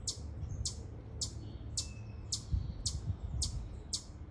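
A chipmunk gives sharp, high chips, repeated about twice a second at a steady pace.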